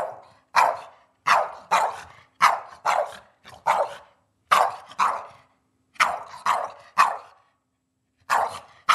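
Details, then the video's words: Eddie the pet dog barks at dinner time, a nightly habit: a steady run of loud, sharp barks, about one every half second with short gaps, in a quiet room. "Eddie Barking for his Dinner!"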